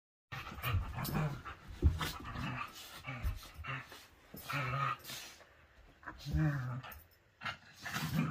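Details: Whippet at morning play time, letting out low rumbling growls in short bursts mixed with panting and scuffling; a person says a word at the end.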